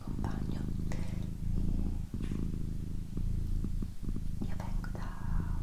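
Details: Indoor pet cat, female, purring: an unbroken low vibrating drone with short dips, while gentle whispers and faint mouth sounds come and go.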